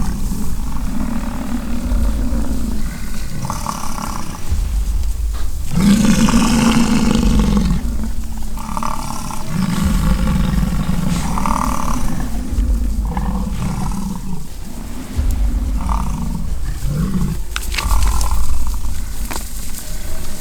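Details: Rutting-season American bison fighting on a ranch in Fort St. John, British Columbia, Canada; long low growling bellows swell and fade, one louder roar near the middle, with wind rumble and brief clicks.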